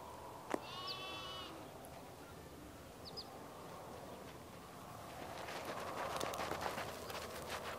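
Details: Sheep on a farm in the morning giving a single wavering, nasal bleat lasting under a second early on, over a steady rural background hum with faint brief bird chirps and a burst of rustling near the end.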